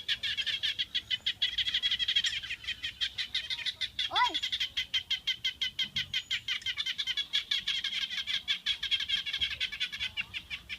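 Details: Frogs at a garden home call loudly to one another in a chorus of rapid, high-pitched pulsing notes, their throats puffing as they call.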